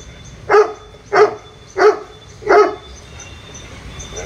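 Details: Labrador Retriever puppies giving four short, sharp, high-pitched barks spaced roughly two-thirds of a second apart, each with bright ringing overtones, followed by quiet with a faint steady hiss.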